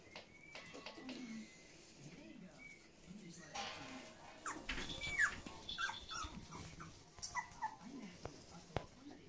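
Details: Großspitz (German Spitz) puppies on their 30th day of life give a thin, high whine near the start, then soft, low whimpering grunts, with people talking and handling noises around them.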